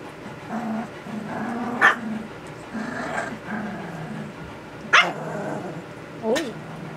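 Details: Young puppies aged 2 weeks and 6 days, newly finding their voices, make low, drawn-out whining hums with a couple of sharp yips and a rising-falling squeal, while people talk in the background.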